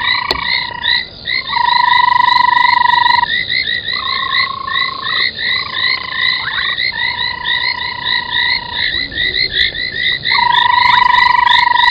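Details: Frog chorus at an old pan-making foam nest, Djuma Game Reserve, Sabi Sand, South Africa, at night in January 2021. Quick upswept chirps overlap densely with several long, even sustained tones.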